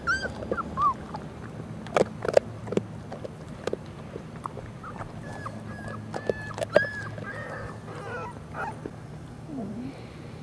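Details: A pit bull (American Staffordshire Terrier) mother, busy with a treat, growls low and rumbling at her 4-week-old puppies, which whimper and yip, before snapping at them, a display of food aggression.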